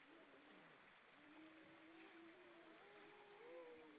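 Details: Grey seals on rocks at Vilsandi, Estonia, singing on an October 2012 evening: several drawn-out, quavering moans held at different pitches and overlapping, one sliding upward near the end, set against continuous wash of water.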